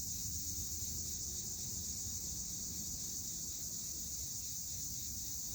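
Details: Cicadas sing in summer, a steady, shrill, high-pitched buzz that never lets up, over a low background rumble.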